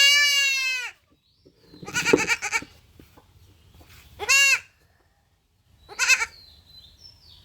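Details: Young male goat kid bleating during castration on a farm; a long, loud, wavering bleat, then shorter harsh bleats spaced about two seconds apart.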